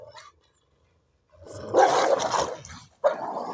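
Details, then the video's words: Fight between two Cane Corsos and a passing Dogo Argentino that became aggressive toward one of them before being separated. A loud, harsh snarling burst lasting over a second follows a quiet start, then a second abrupt bark-like snarl. "Cane Corso Vs Dogue Argentin"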